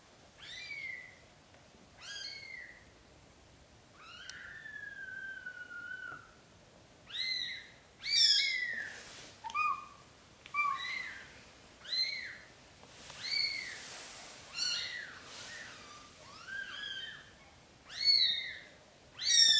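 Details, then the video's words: Newborn British Shorthair kittens, black golden, being moved by their mother into a small nest instead of a large bed; loud, high, bent mews repeat roughly every second, with one longer drawn-out cry early on. "Mom cat carries newborn kittens into a small nest because she do not like large bed."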